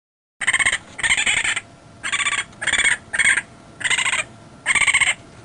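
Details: Raccoon (Procyon lotor) gives a run of high, harsh, trilling squeals in short bursts.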